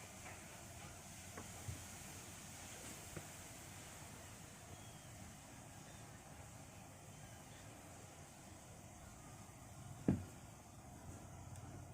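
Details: Quiet low background hum with a few soft knocks and one sharp click near the end; no animal voice.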